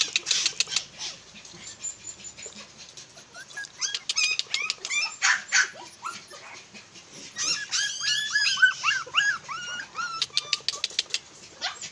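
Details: A very small red-and-tan Miniature Pinscher kept as a pet gives rapid, high-pitched, squeaky whines and yelps, many short rising-falling cries in quick bursts, with clicks and rustling close by indoors.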